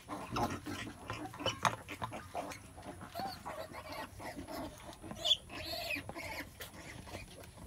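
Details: A mother pig in labour gives low, rough grunts in the opening seconds, then quieter snorts and a couple of higher squeaks against a faint steady hiss.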